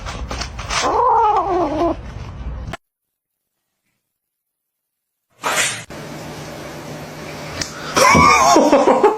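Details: A kitten that had just bitten a person gives a high, wavering meow, with that person's voice and handling noise.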